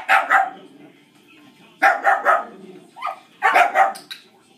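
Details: Distracting dog barking in bursts of two or three loud, harsh barks, with brief pauses between bursts. Heard during a shaping training session with Dixie, a dog reactive to other dogs.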